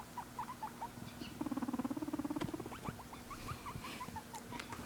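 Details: Pet guinea pig making cute, curious noises indoors: short chirping squeaks around mid pitch, then a fast buzzy purr-like rattle of rapid pulses lasting about a second and a half, followed by more scattered squeaks.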